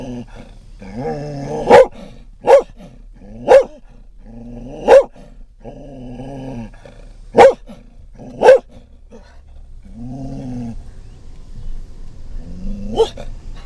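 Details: Scottish Terrier riding in a van, excited by passing dogs and cats: short whines between a string of single sharp barks, about seven in all, then fading whimpers over road noise.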